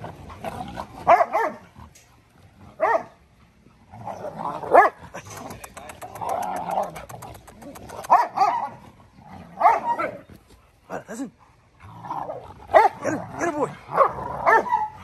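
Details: Dogo Argentino in a yard, giving deep harmonic barks and growling bursts in loose clusters, pausing between groups, with a few short sharp clicks and faint human voices in the background.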